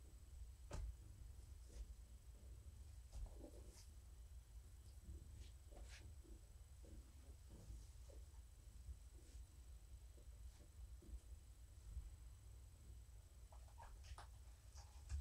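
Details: Evening indoors, the female cat Morticia purrs while being stroked: a low, unbroken hum under sharp intermittent clicks and small taps.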